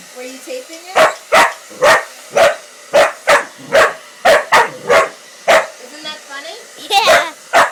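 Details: Female Pitbull-Corgi mix reacting to a hair dryer with a long run of about thirteen sharp barks, roughly two per second, with a high voiced yelp near the end and people talking in the background.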